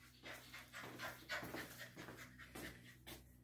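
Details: Ten-week-old Labrador Retriever puppy during obedience training, panting quickly. Short breathy puffs come about three to four per second, at an uneven rhythm, in a quiet setting.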